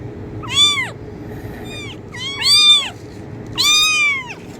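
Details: Three drawn-out kitten meows, intended to attract cats, each bending upward then sliding down, with a softer fainter meow between the first two and a quiet background hum.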